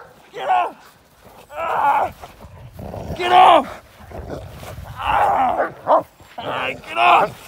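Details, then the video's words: Male Cane Corso during k9 response protection training in London, UK, staged against moped gang crime: a run of deep, harsh barks in separate bursts roughly every second or so, with human voices mixed in. "k9 response Training Male Cane Corso"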